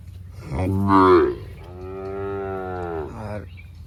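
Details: Sahiwal bull at a cattle package sale in Birampur, Dinajpur: a short rising grunt, then a long, steady, harmonic moo lasting nearly two seconds that trails off, against low background rumble.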